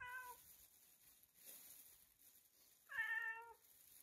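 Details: Cat meowing in a noisy room: a brief, falling meow, then after a pause a louder, drawn-out meow that wavers and drops, heard over steady background hiss.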